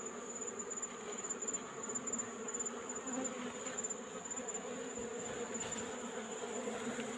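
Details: Asian honey bees (Apis cerana) from a wild colony being removed from a hole in rock on an afternoon: steady, droning hum with a low and a higher tone, slightly pulsing in loudness, plus a faint constant high whine.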